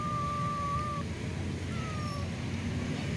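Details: A kitten trapped inside an iron grille, crying out in fear as it is found and rescued, gives two thin, drawn-out mews over a low rumble of background noise.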